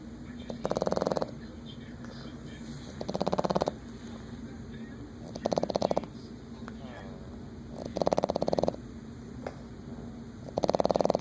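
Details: A sleeping Boston Terrier snores loudly in rattling bursts, each breath a coarse fluttering rasp of about half a second, repeating steadily every two to three seconds with quiet breathing between.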